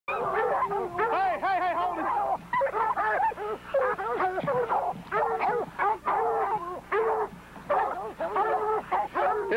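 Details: American bulldog and other dogs confronting a very aggressive 400 lb wild boar at a hog-dog rodeo; dense, frantic barking and yelping in rapid bursts, overlapping with a man shouting and commentary.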